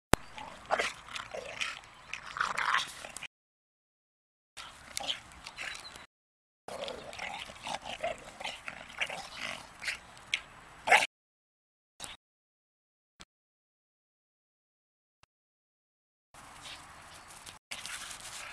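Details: Staffordshire Bull Terrier giving soft, breathy whimpers and short yips in broken bursts, with several silent gaps between sections of the recording.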